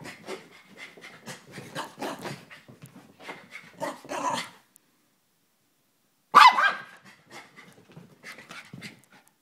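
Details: Excitable Chihuahua panting in quick rhythmic puffs, a brief silence, then one loud high bark and more panting.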